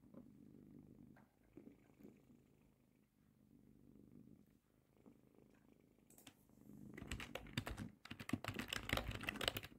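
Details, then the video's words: Cat purring on its owner's lap indoors: a soft, low, steady rumbling purr for about six seconds, then loud computer keyboard typing takes over. "Cat purring on my lap while I work"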